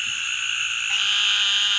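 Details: Narrow-mouthed Toad. A narrow-mouthed toad calls with a long, even, high-pitched buzz, nasal and bleat-like, holding the same tone throughout. Nothing else stands out beyond a faint low rumble in the background.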